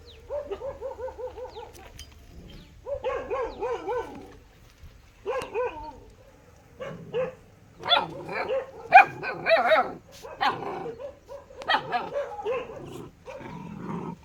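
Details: A dog gives quick chains of high pulsing yelps, then breaks into loud, dense, rapid barking that rises to a frantic peak before easing into scattered barks and whines.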